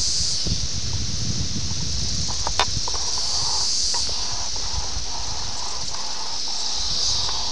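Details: Brood X 17-year periodical cicadas at Ayersville, Ohio, June 18, 1987, taped on a VHS camera: a steady, dense, high-pitched droning chorus that never breaks, with low rustling and handling thumps beneath.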